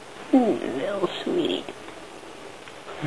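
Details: Shelter cat, one of Lugosi, Spider and Janelle, playing wildly with a catnip-filled Kitty Kicker toy: two short, wavering, whiny meows at the start, with a woman's soft speech around them.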